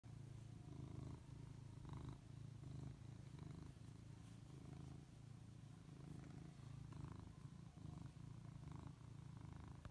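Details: Domestic cat purring steadily and quietly, a low continuous rumble with rhythmic pulses through the whole stretch, faint background hiss.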